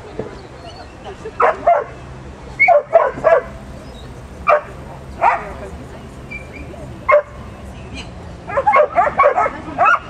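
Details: At an agility championship, the Scottish Terrier Dartagnan barks in loud, clipped bursts, some single and some in quick pairs, ending in a rapid volley of several yips, with low background noise throughout.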